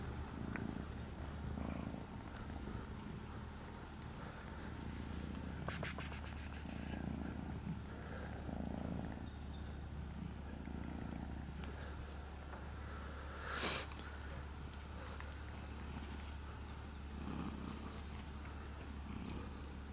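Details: Kitten together with its father cat, a low steady continuous purr rumbling throughout with soft rhythmic breathing swells every couple of seconds, a brief rustle or click near the middle.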